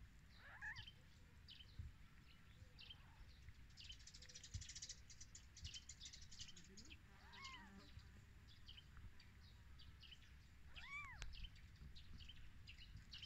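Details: Newborn kittens on their first day of life, just after their mother gave birth, give thin, arched mews that rise and fall. Two clearer cries come late, with steady chirping of birds in the background.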